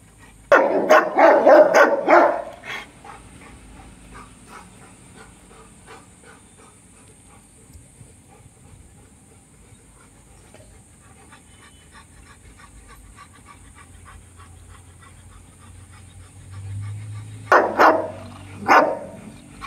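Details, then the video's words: Dogo Argentino dogs Brutus and Roxy in a family setting: a rapid burst of loud, deep barks over about two seconds, a long quiet stretch with low murmuring, then two more sharp barks near the end. "Brutus with Roxy Dogo Argentino family"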